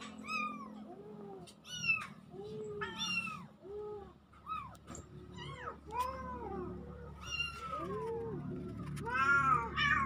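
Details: Two kittens mewing on October 17, 2024, a rapid overlapping series of arched, rising-then-falling cries, high and bright, some calls coming in quick pairs over a faint low hum.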